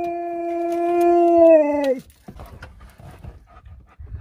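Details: Alaskan Malamute kept as a family pet, indoors, giving one long steady howl of about two seconds with rich harmonics that drops sharply at the end, followed by quiet room sounds and a person starting to talk.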